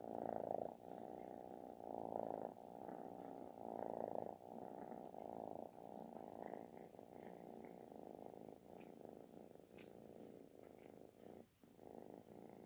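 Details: Affectionate kitten giving a booming, snore-like purr, a steady rhythmic rumble rising and falling with each breath, roughly four pulses a second, over about twelve seconds with no other noises.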